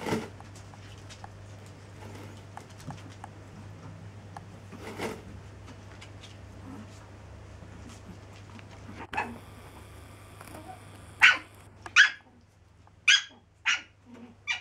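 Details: Seven-week-old Chihuahua pups, indoors: after a quiet stretch with a steady low hum and scattered faint clicks, a series of five short, sharp, high yips or squeaks comes in quick succession near the end.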